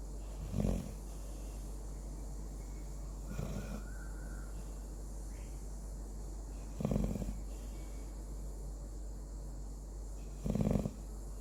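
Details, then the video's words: Pet Labrador Retriever dog, newly snoring loudly while asleep; deep, low rasping snores roughly every three to four seconds, each a short throaty burst, with steady room hum between breaths. "Dog snoring"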